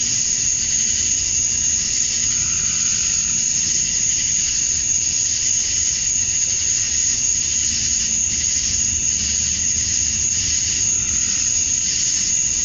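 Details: Georgia, USA, summer night at dusk, male cicadas chirping for females. A seamless, sharp, high-pitched ringing drone runs through the whole stretch, with a quieter, wavering buzz underneath and no other sounds.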